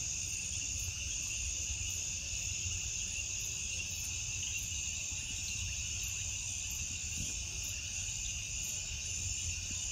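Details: Cricket. A dense night chorus of crickets rings on without a break, high and shimmering in overlapping bands. A faint low rumble of background noise sits beneath the insects.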